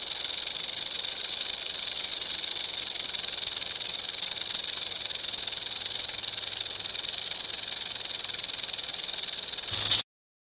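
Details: Rattlesnake rattle as an unbroken, steady high-pitched buzzing hiss lasting about ten seconds, then cutting off abruptly into silence.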